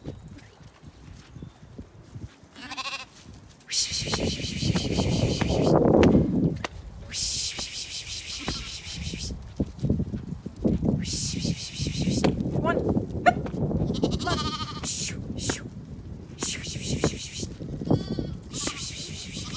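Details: Zwartbles sheep on a County Kilkenny farm in Ireland, heading to their evening meal: scattered short bleats amid loud rustling, trampling and bursts of high hissing noise.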